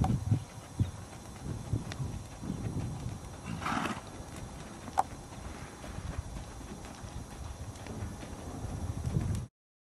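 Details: A Tennessee Walking Horse mare gives one short neigh around the fourth second, amid steady hoof clip-clops and low rumbling background noise; a sharp click sounds shortly after.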